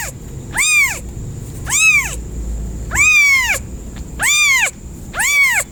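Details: Domestic cat meowing in repeated drawn-out arched calls, five in under six seconds, each rising then falling with rich harmonics, over a steady faint high tone and low background rumble.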